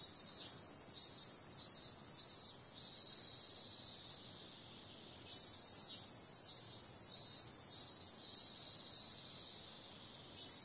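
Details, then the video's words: Cicadas at night on a summer evening: a dense, steady high-pitched buzzing drone, pulsing louder in short surges roughly every half second in two bursts, with a constant shrill hiss beneath. "Cicada sound"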